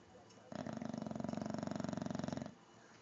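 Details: Bulldog sleeping in a clothes basket, snoring really loud: a two-second rattling snore with rapid regular pulses, low and buzzy, starting and stopping abruptly, in a quiet indoor room.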